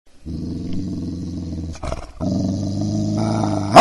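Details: A dog growling: a low, rough, rumbling growl runs steadily for almost two seconds, breaks off briefly, then resumes with a slight rise and ends abruptly.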